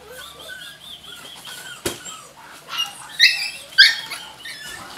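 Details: Jack Russell Terrier puppies whining in thin, high, wavering whimpers that rise and fall, then sharper squeaky yelps clustered near the end, with a single loud knock partway through.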